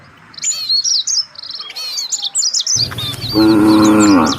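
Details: A herd of village cattle looking for fresh grass. Dense high bird chirping fills the first half, then a loud, full moo begins and continues to the end.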